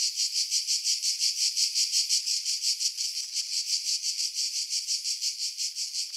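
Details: Pine-tree cicadas on Skiros Island, Greece, July 2018, near Pefkos Bay about 50 m above the sea; a bright, sizzling buzz swelling and fading in steady beats nearly three per second.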